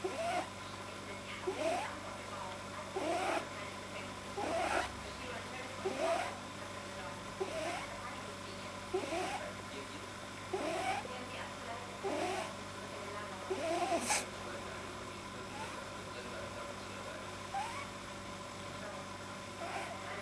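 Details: Deeply relaxed pet rabbit with a soft palate judged too long, giving rhythmic squeaky, wheezy snorts about once a second, with a faint background hum and one brief sharp click.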